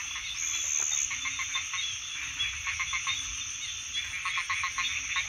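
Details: Chorus of frogs, quick clusters of short clicking croaks repeated in bursts over a steady high-pitched drone, with a few lower croaks scattered between.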